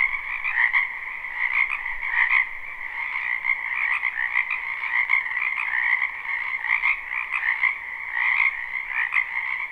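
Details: Live, unlooped recording of a spring wetland frog chorus; overlapping croaks form a continuous trilling drone, with louder bursts recurring about once a second across the clip.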